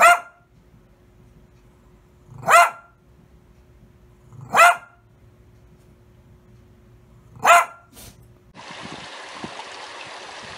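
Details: Dogs barking and howling: four single clear barks spaced about two seconds apart against near silence, followed by a burst of broadband hiss and a low voice.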